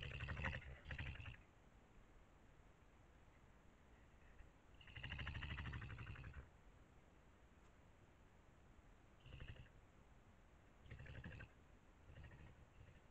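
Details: An angry badger directing a peculiar noise at another badger hiding behind a fence; harsh, low rumbling bursts with raspy upper tones, in four separate outbursts of about half a second to a second and a half, quiet pauses between.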